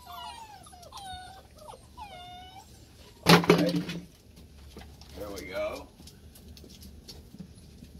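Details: Rhodesian Ridgeback puppies on a farm, raised with vacuum cleaner noise near the whelping box, give high whining whimpers that rise and fall. A sharp loud bang interrupts midway, followed by a brief rougher burst.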